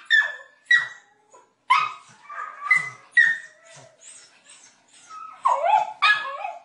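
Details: Domestic dog mixing short high barks with whining, wavering yelps, bursts coming unevenly about once a second, ending in a couple of louder, rising-and-falling whimpers.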